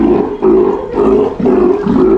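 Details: Steller sea lion pup at an aquarium in Japan, calling during a training session meant to stop it biting staff: a loud, hoarse, moaning roar repeated about four times in two seconds, with little else heard.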